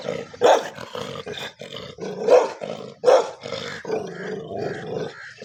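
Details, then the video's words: Pet dogs fighting among themselves, giving deep, rasping growls and snarls that swell into three loud roaring outbursts, then settle into lower continuous rumbling growls. "dog sound (my paltu dog aapas Mein Lad Paya Hai)"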